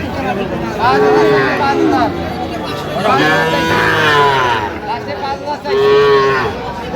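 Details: Sahiwal bull calves at Aftabganj cattle market on 29 November 2025 give three loud, drawn-out harmonic moos about two seconds apart, each bending down in pitch, over steady crowd chatter and speech.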